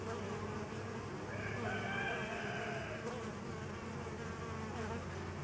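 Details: Steady low humming of honey bees feeding on homemade pollen substitute, with a faint higher tonal sound drifting in around the middle.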